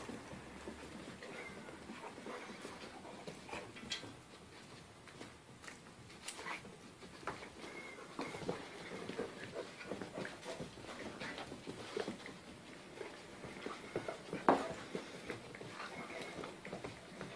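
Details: A Jack Russell Terrier puppy plays indoors with an adult Dachshund and a Rottweiler: scattered quiet growls, whines and snuffles over constant scrabbling of paws, with one sharp yelp-like burst near the end.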